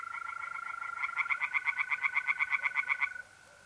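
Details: Tree frogs singing in a pond at night in mid-April, north-east Italy: a fast series of sharp, evenly spaced pulses that swells and then stops abruptly, over a steady, unbroken trill from mole crickets.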